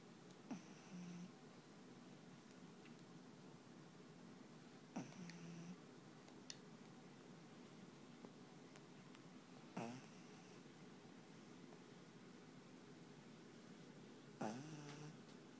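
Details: Panpan, a black pug, snoring while asleep indoors: a short snorting breath with a nasal, whistled tone comes roughly every five seconds, with quiet room hum between.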